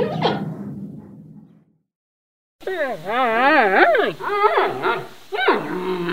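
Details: A giant panda (Ailuropoda melanoleuca) gives a brief falling cry, then after a pause harmonic, wavering whines that rise and fall.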